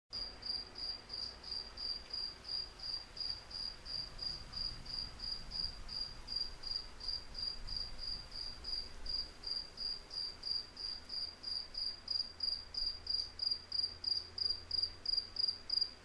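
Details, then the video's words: Crickets chirp steadily at a high pitch, roughly three short pulsed chirps each second, over a low rumble of wind. "Wind With Cricket Sound"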